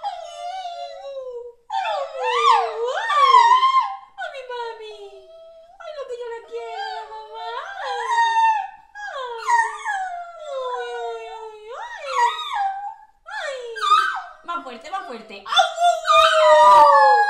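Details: Norwich Terrier mimicking its owner: a long series of swooping, rising-and-falling whines and yodelling howls, several each few seconds, with short pauses, growing louder and higher toward the end.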